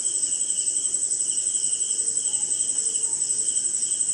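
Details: Night insect chorus, crickets among them, on a rainy night in India: a continuous shrill high-pitched buzz over a softer pulsing chirp beating roughly twice a second, with faint low tonal notes near the end.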